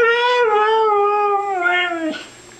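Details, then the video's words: Indoors, a Siberian Husky kept as a pet vocalises in a long, warbling, talk-like moan that wavers and then drops at the end, responding as a person repeats loving phrases to it. "TALKING HUSKY!!!"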